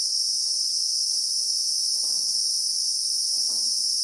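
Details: Brief real-time bushveld recording from South Africa of a Christmas beetle (Anoplognathus): an even, piercing high-pitched whine that never pauses, with soft low thumps near the middle and the end.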